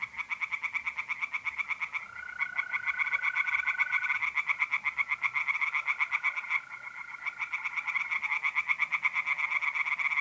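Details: Tree frogs by a pond on an April night in North-East Italy keep up a continuous rattling chorus of rapid croaks, while mole crickets add long, steady, level trills in the background.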